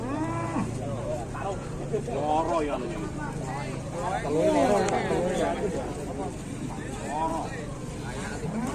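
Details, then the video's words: Raging cattle in Indonesia bellowing repeatedly, a series of short wavering moos with curved harmonics over a low rumble, with men's voices and background noise. "SAPI NGAMUK"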